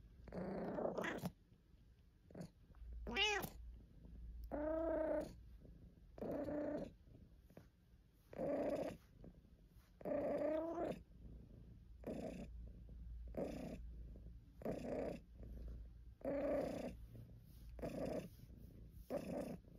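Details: Caesar von Schwanheim, a pet cat, complaining and purring: a run of short, nasal meows and chirps, a few clearly rising and falling, mixed with low purring and soft murmurs, spaced about every second.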